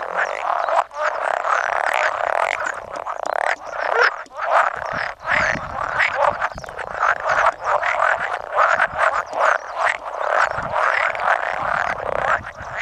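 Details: Chorus of roughly 100 male pool frogs at spawning, 16 May 2017, an occasional edible frog among them; continuous overlapping croaks and quick rattles pulsing throughout, with no other sound standing out.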